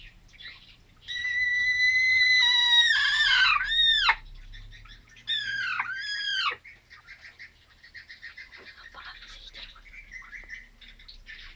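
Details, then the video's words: Grey Persian cat indoors making a chicken-like voice: a long, high, steady squeal, then two arching calls that swoop down and back up, followed by softer, fainter chirps. "GREY PERSIAN CAT MAKES CHICKEN VOICED"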